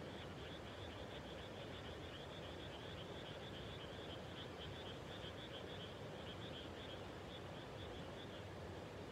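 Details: Frog chorus at dusk just after rice planting in the countryside: a dense, continuous trilling band of many callers runs through the whole stretch, with a broad low rumble beneath.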